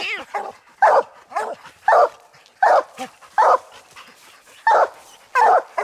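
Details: Coon dogs baying at a tree after treeing a ringtail raccoon during a hunt, one old dog, another aging dog and a year-old young dog: loud hoarse barks repeated roughly every second in steady bursts.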